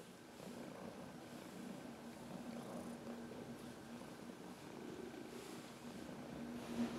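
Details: Senior domestic cat, fourteen years old and adopted from a shelter, purring while massaging herself against a person's knuckles indoors; steady low continuous purr throughout with a soft rumbling texture, slight swell near the end.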